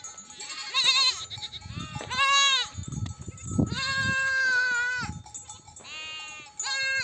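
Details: Mother sheep bleating to call their lambs to nurse as a nomadic flock returns from desert grazing; loud wavering bleats, several overlapping, each lasting about a second, with faint rustling and low shuffling of the flock.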